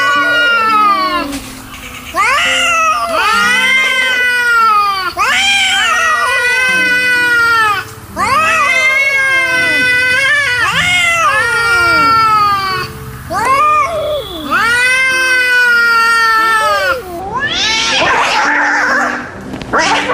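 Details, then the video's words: Angry cats yowling in long, loud, harmonic-rich wails that rise then fall, several overlapping drawn-out cries with brief pauses, ending in a harsher hiss-like burst. "The sound of angry cats, total anger"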